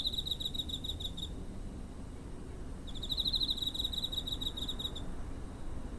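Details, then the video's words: Chirping cricket near a home, 7 September 2023, TASCAM DR-05 recorder; a rapid high pulsed trill for over a second, a pause, then a longer two-second trill, over low steady background noise. "Cricket chirping (コオロギの鳴き声"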